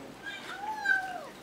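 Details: Snuggle noise from a feeding kitten: a smooth, steady whine that slides down at the close, with faint chewing sounds and a person talking nearby.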